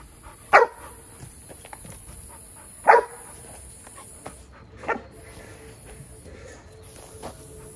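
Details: Protection exercise with female Giant Schnauzer puppy Jada: single deep-ish barks spaced about two seconds apart, three strong ones then a faint fourth, over a steady high hiss and light background noise.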